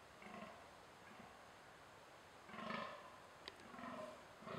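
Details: Rutting fallow buck calling from dense thicket, giving a few deep, throaty grunting groans with gaps between them, the later ones coming in closer succession; a brief sharp click partway through, otherwise quiet hiss.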